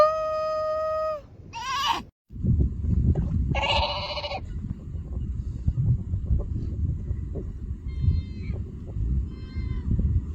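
A seal pup calls with quavering, sheep-like bleats, loudest in a strong burst near the middle, then fainter repeats later. A steady electronic-sounding tone opens the recording, and a constant low rush of wind or surf runs underneath.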